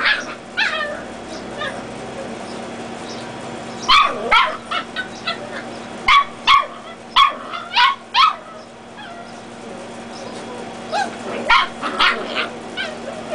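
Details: Dachshund puppy play battle between red and black-and-tan littermates. Scattered yips give way to a busy, irregular series of sharp high barks and squeals, roughly two or three a second at its peak. Faint background hum.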